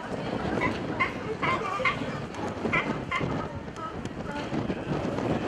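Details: California sea lions hauled out at Pier 39, San Francisco, give a run of short harsh barks, several in quick bursts over steady wind and surf noise, with a few faint voices of onlookers.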